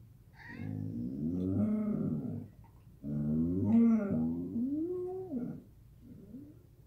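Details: Samoyed named Gomi "babbling" at home in the morning after its owner comes downstairs: two long, moaning, talk-like vocalizations with sliding, wavering pitch, each about two to three seconds, separated by a short pause.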